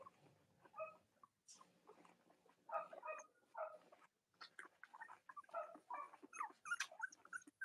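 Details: Cavalier King Charles Spaniel puppies from Robin and Myra's litters, filmed on a chilly Monday morning near Halloween in the US, give clustered high whimpering squeals in bursts, with short quiet gaps between the groups of cries.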